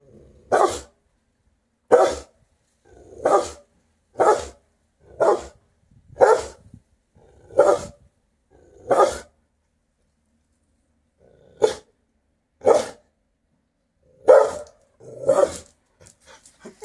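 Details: A half-blind female Rottweiler on guard gives deep, single barks, spaced about a second apart with a short pause midway.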